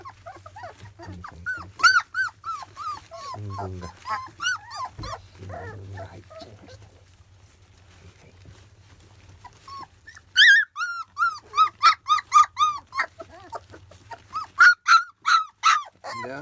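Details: Litter of field-type Labrador Retriever pups at 25 days old, first weaning meal: loud bursts of piercing, repeated whines, rapid and irregular, broken by a quieter stretch midway before another insistent volley of squeals.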